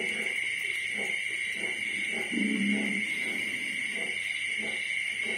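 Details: Young piglets aged 25 days, a day before separation from the sow: scattered soft grunts with one longer, louder squealing call midway, and persistent high-pitched mechanical hum behind.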